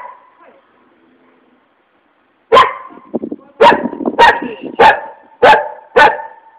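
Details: Furious dog: a faint whine, then silence, then a run of loud sharp barks roughly every half second with rough growly sounds between them.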